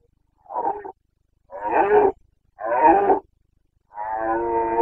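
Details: Carpathian stag (red deer) bellowing during the breeding season in Bucovina, 29 September 2022: a short roar followed by two longer hoarse ones, then a sustained, steadier bellow with clear harmonic bands.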